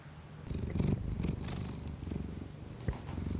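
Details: Kiku-chan, a pet cat, purring indoors, close-miked with a Shure MV88 external microphone on an iPhone for ASMR; a low, throbbing rumble that swells in rhythmic waves, broken by a few soft clicks and rustles.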